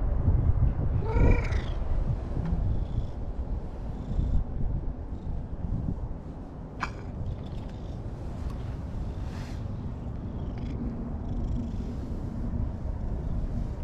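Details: A calico (orange-and-white) stray cat seeking affection at dusk by a lakeside park in Japan gives a single clear, rising meow over a steady low outdoor rumble.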